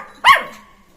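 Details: Single short, sharp bark from a playing Jack Russell Terrier puppy, a bright yelp that falls quickly in pitch and fades.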